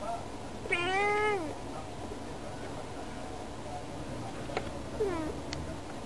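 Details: Female house cat indoors calling to birds outside a window; one clear, drawn-out meow followed by a faint short meow and a couple of soft clicks over low room hum.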